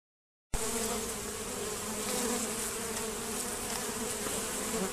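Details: After a half-second of silence, loud massed buzzing of honey bees robbing at a screened, reduced hive entrance begins abruptly and holds steady, a thick droning hum with layered tones and airy wing noise.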